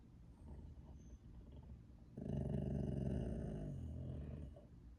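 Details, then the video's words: Boxer dog producing one sustained, harsh, low growling howl of about two seconds with a rich, buzzy tone that fades out, after a murmuring background. "I’ve never saw a dog bark like that a Gro-HowL"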